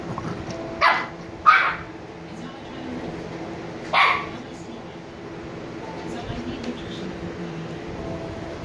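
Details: Short sharp puppy barks from 86-day-old Shiba Inu pair Niro and Kyno, sleepy: two close barks within the first two seconds, one more at four seconds, then only faint background noise.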